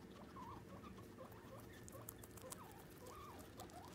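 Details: Pet boar guinea pigs Lloyd and Gandalf, red-eyed rescues about 15 months old, living indoors with a herd of boars including Squeaky. Short squeaky chirps rise and fall in quick succession, several per second, over steady low background hiss.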